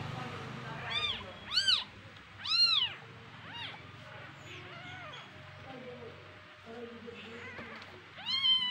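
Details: Domestic kittens, three born to a house cat, calling and squabbling among themselves at home: loud arched meows in quick bursts, several close together early, then quieter mews and a final loud pair, with a faint low hum.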